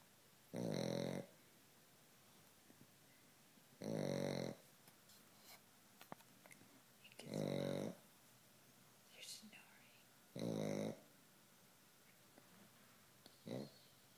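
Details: A Pekingese snores loudly, each rattling, nasal breath coming about every three seconds.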